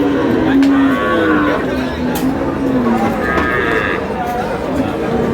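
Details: Sustained low moo lasting about three seconds, sagging gently in pitch, from a cow at Ambari Haat livestock market, Dinajpur, where cows with calves are sold, July 3, 2026. Voices and chatter continue in the background.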